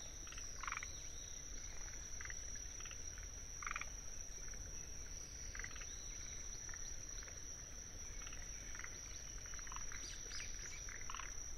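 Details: Forest green tree frogs calling in a wetland soundscape at Tsuruoka, Japan, 19 June 2021, recorded with a ZOOM F6 and paired Sennheiser microphones; short rapid clucking bursts scattered through the clip over a steady high Kinhibari cricket trill and low rumble.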